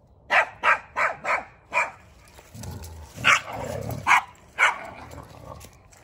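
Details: Odin the German Shepherd and little BELLA, a Chihuahua Yorkie mix, team up to harass $amson the Boxer. A quick run of five sharp barks opens, then a low rumble and three more spaced, loud barks.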